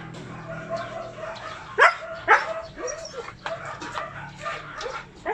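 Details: Corgi dogs at a kennel giving short yipping barks, two louder sharp barks near the middle among softer overlapping yaps, several dogs possibly calling together.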